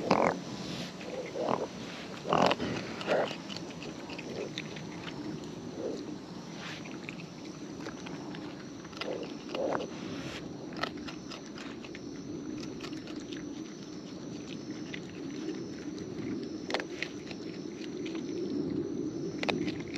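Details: Raccoons in the wild feeding at close range: wet, irregular chewing and smacking sounds, heaviest in the first few seconds, over a low, steady outdoor rumble.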